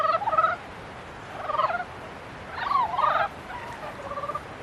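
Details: Frogs in mating season giving short bursts of nasal, pulsed croaks, three main bouts about a second apart, each rough and harmonic-rich, with a quiet background between bouts.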